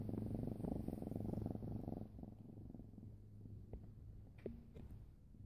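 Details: A pet cat purrs steadily, a low rumbling throb pulsing several times a second, strongest in the first two seconds and then softer, with a few faint clicks and a brief light tone near the end.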